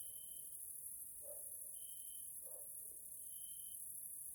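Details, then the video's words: Grasshoppers in a nature area in Hungary, Central Europe, fill the evening with a steady high hiss and repeated thin, level buzzing notes. "grasshoppers sounds in nature area Hungary Central Europe"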